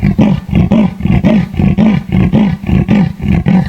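A leopard growls in a quick run of low, hoarse, rasping grunts, nearly two each second.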